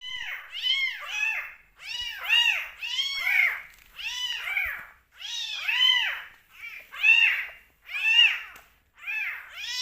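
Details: Two rescue kittens give high, arching meows in quick, overlapping bursts during bottle feeding, apparently eager for milk and attention.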